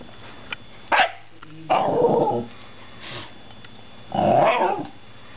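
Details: A Shiba Inu "talking" to two rescued cats makes short, throaty grumbles and whining yowls in a few uneven bursts.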